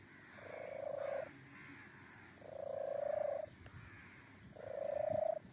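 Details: Kitten with strange sounds: three loud, sustained, level mews, each about a second long, spaced roughly two seconds apart, with a quiet background.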